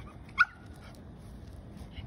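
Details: A Shih Tzu that has a Labrador scared of it gives one short, sharp, high bark that ends abruptly, followed by a brief faint whine, with quiet room noise behind.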